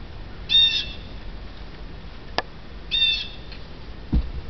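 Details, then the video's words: A female domestic cat watching birds outside a window gives two brief, high, trilling chirps a couple of seconds apart. "Weird Cat Noise"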